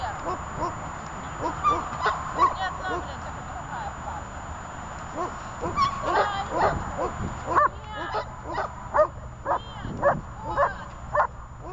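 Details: Dog named Zhelya during guard training; human voices fill the first half, then a run of loud, mid-pitched barks follows in an uneven rhythm, about two per second, with voices still audible.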